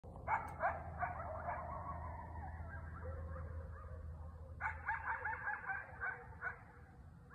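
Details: Several coyotes in Knoxville give sharp, yipping barks in quick bursts, with a drawn-out howl between them.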